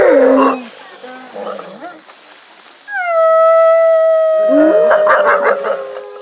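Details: Gray wolves at a wolf park on an August evening howl in response after a crowd of visitors howls on a count of three; a long steady tonal howl with harmonics rises from human voices, joined by overlapping howls near the end.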